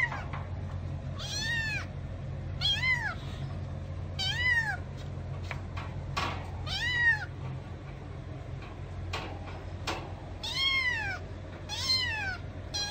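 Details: Little kittens meowing and talking: high arched mews repeated roughly every one and a half seconds, each rising then falling, about eight in all, over a steady low indoor hum.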